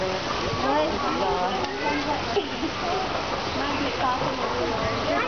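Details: Sea lions calling on the first day of spring, a dense chorus of many overlapping harmonic barks and wavering moans rising and falling, with splashing water underneath.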